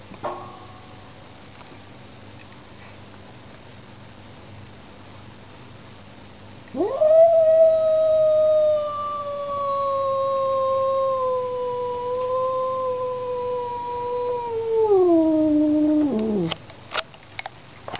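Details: Domestic cat confronting a street cat. Quiet at first, then a single drawn-out yowl rises sharply and holds steady, sagging gradually for nine seconds before dropping away at the end. A few clicks trail after it.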